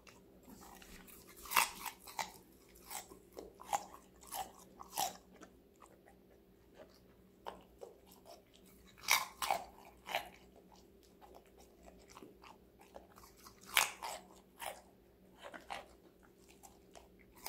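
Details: Connie, a five-month-old female Golden Retriever, eats assorted vegetables indoors in close-up ASMR. Sharp crisp crunches land in irregular bursts, heaviest near the start and middle, with quieter nibbling between and a steady low hum underneath.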